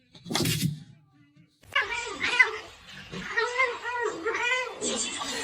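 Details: Domestic cat indoors giving a run of four or five short, arched, mid-pitched meows in quick succession, following a sharp noise and a pause, with a person talking over the calls.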